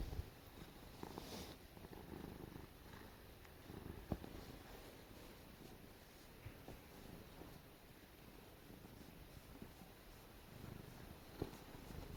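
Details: House cat being petted while snuggling, a steady low rumbling purr throughout, even and continuous, with a few faint clicks and rustles.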